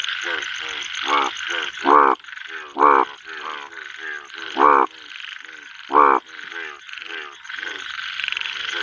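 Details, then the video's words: Pond in the monsoon, rain pouring: a calling male bullfrog gives loud, hoarse, booming croaks roughly once a second, with softer croaks between them, over a constant hiss of rainfall. "Bull Frog Male Calling"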